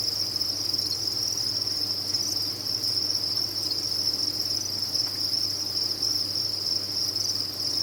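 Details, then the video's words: Chorus of farmed crickets, the sound said to cancel out tinnitus: many insects chirping together in a continuous shrill band that never drops out, with a soft low droning hum beneath. "Sound of a Cricket Farm"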